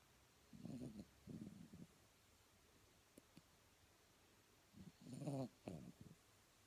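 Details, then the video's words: Blenheim Cavalier King Charles Spaniel asleep and snoring, giving short low rasping breaths in brief clusters early on and again near the end, with a couple of faint clicks in the quiet middle. "sleeping and snoring like a boss"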